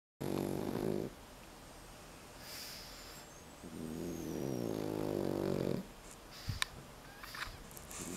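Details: A 9-month-old male Pekingese held in someone's arms, snorting through its nose like snoring while awake, apparently feeling good; two long raspy, rumbling snorts of about one and two seconds, with a faint high whine between them.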